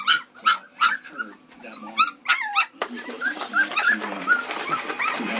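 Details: Red poodles give a rapid string of high, short, rising whimpering yips, several each second. People talk close by.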